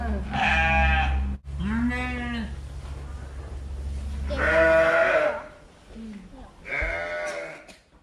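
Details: Fluffy sheep giving four loud, quavering bleats about every two seconds, each rich and nasal with a shaky tremble, the third the loudest, above a constant low droning hum.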